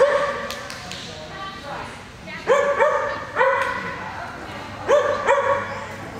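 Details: Vizsla dog barking during an AKC Novice FAST agility run on 3/5/22: four sharp, ringing barks, the last two in a quick pair, over a judge counting numbers aloud and faint arena noise.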